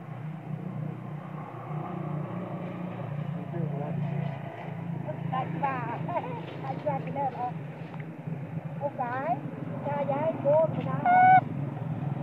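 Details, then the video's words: Spoiled baby monkey, angry with its mother when sleepy, gives whiny harmonic cries that rise and fall in short bursts, louder toward the end, over a steady low engine hum. "Spoil baby monkey cry,screaming,angry with mom monkey when it is sleepy"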